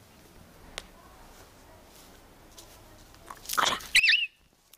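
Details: Japanese Spitz on its first time outside gives a little yelp in shock when bumped: a burst of rustling handling noise, then a brief, high, wavering yelp, followed by sudden quiet.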